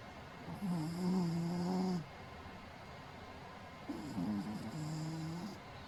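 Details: Shih Tzu dog asleep indoors, slumped against a sofa, snoring: two long low rumbling snores with a steady droning tone, each lasting about one and a half to two seconds, separated by quiet breathing pauses in a small room.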